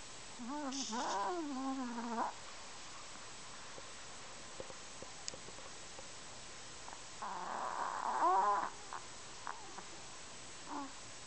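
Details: Kenny the Chihuahua snoring: two squeaky, wavering whistled breaths, each nearly two seconds long with rising and falling pitch, separated by about five seconds of quiet hiss with faint clicks.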